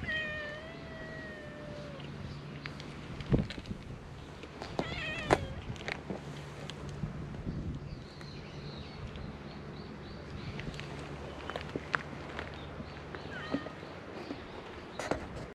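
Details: Stray cat on a cat island, recorded on a GoPro HERO8: a clear, level two-second meow opens the clip, followed by scattered clicks, knocks and brief squeaky sounds over a constant low hum.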